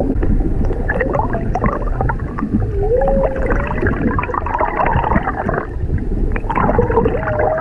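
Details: Underwater humpback whale song off Maui, where a mother and her calf swim near a whale-watching boat: wavering, rising tonal moans, one midway and another near the end, set against steady bubbling water and engine rumble.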